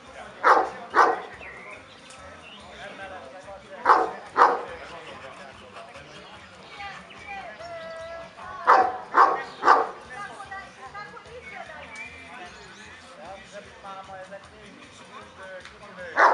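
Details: Kuvasz barking at a 2017 club show in Kishegyes (Mali Iđoš): short bursts of two or three heavy, booming barks separated by several seconds, with people talking throughout.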